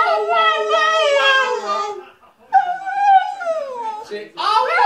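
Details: Staffordshire Bull Terrier, a vocal pooch, performing its whah whah song: a sustained howled tone that falls away, then a second rising and sinking wail, ending in a brief rougher cry.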